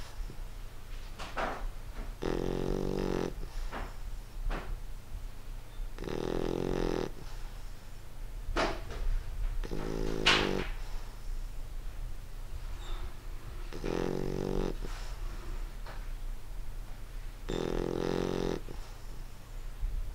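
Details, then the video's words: Snoring English Bulldog at rest indoors: five rattling snores spaced three to four seconds apart, interspersed with short sharp snorts and sniffs, over a steady low hum. "English Bulldog Reggie snoring"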